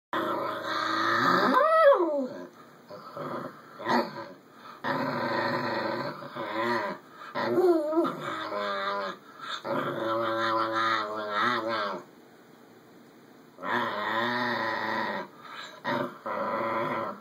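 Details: A schnauzer vocalizing at length, as if sharing his thoughts: drawn-out howling and grumbling with rising and falling wavering tones, several long bursts separated by short pauses, one near-silent gap before a final stretch.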